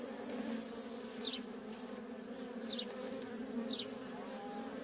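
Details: Feral honey bee colony with worker bees coming and going: a dense, continuous low buzzing hum, with three quick fly-by swishes of passing bees.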